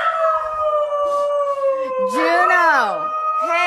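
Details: Siberian Husky puppy talking to its owners with a long, steady, slightly falling howl that holds through the whole stretch, while a person talks over it and the dog's voice bends upward near the end.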